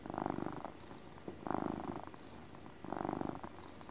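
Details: Contented domestic cat purring like a motor, rumbling pulses about 1.3 seconds apart, three strong swells separated by softer, quieter purring in a calm indoor setting.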